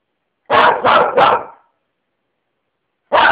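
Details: Dog named Lenny giving a quick run of three rough barks in close succession, then a pause before another bark begins; quiet background otherwise.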